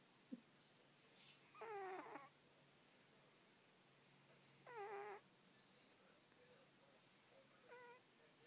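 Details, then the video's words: Pet cat snoring while asleep and dreaming indoors: whistling, wavering nasal tones in half-second bursts roughly every three seconds, the last one softer, over a quiet room hiss. "the snoring cat"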